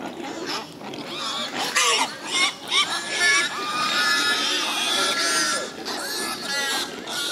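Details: Wild boars give rapid, shrill squeals and short harsh bursts, densely overlapping, then one long strained squeal lasting several seconds, with scattered noisy grunts around it.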